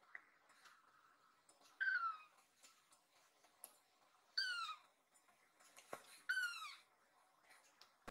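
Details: Worried rescue kitten Nan perched on a resting owner's body on a sofa, calling out loudly; three bright, harmonic-rich meows roughly two seconds apart, each dipping in pitch, with faint handling noises between.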